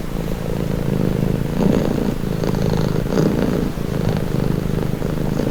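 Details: A cat purring up close: low, buzzing rumble with gentle swells on inhale and exhale every second or so, soft and even.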